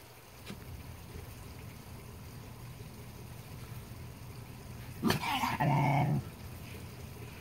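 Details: Basenjis playing with a glass lizard. Mostly quiet with a steady low hum until one sharp yelp, then a brief strained, nasal whine lasting about half a second.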